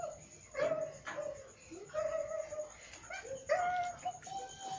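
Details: Siberian Husky puppy playing with children, giving short whining cries, some flat and some sliding up or down, repeated several times over a few seconds, with nearby speech from people.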